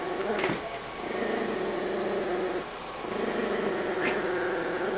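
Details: Indoor Chihuahua hiding in a couch while chewing a bone, growling when someone tries to pet her: a steady, rumbling growl like an idling motorcycle, held almost unbroken for five seconds, with a brief clap-like sound.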